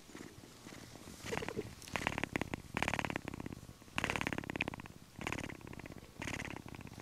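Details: A young captive cheetah cub snuggling near its mother gives a rough, vibrating purr in buzzy bursts of about a second, separated by brief quiet gaps, with a steady rhythm throughout; the cubs purred from birth.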